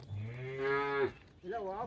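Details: Calm working bull on a traditional Konkan farm; one steady, level moo lasting about a second, followed by a shorter wavering, rising call, with a man speaking before.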